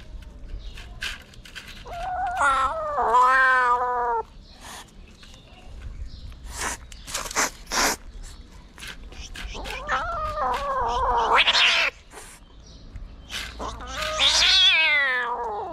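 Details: Angry kitten in Morocco, stray, fighting and refusing to be treated while its mother cat watches; several drawn-out, wavering, harmonically rich yowls and growly cries, separated by sharp clicks and handling noises.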